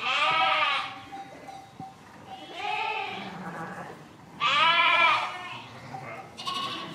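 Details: Three loud, quavering sheep bleats about two seconds apart, each close to a second long, followed by a shorter, fainter bleat near the end.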